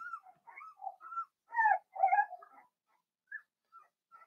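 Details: Four-week-old Cavalier King Charles Spaniel puppies in an indoor puppy pen, meeting other dogs: a series of short, high whimpers and squeaks, some rising or falling, in quick irregular bursts with brief pauses, louder near the middle.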